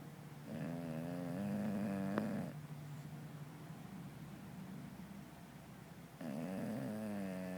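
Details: An English Bulldog in deep sleep, twitching, snores loudly, with rattling, wavering breaths in and out.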